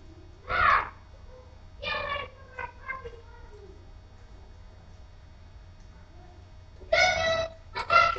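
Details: Playing puppies, four weeks old, let out loud harmonic yelps and whines: one near the start, another at two seconds, a few soft squeaks after, then a pair of strong yelps close together at the end.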